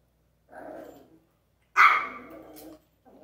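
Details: Dog, possibly a small breed, playing with an interactive toy; a short low grumble, then one loud sharp bark with a trailing growl, and a brief sound at the end.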